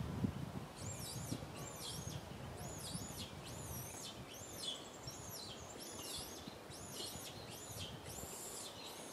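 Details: Young monkey RAIN, up a tree, cries loudly for milk from its mother RANY: a steady series of high, rising-then-falling squeals, roughly one per second, with rustling in the first seconds.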